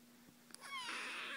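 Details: Littermate kittens in a play-biting session: after a couple of small taps, one kitten lets out a sharp, high, falling cry that turns into a strained, harmonic-rich meow, over a faint hum.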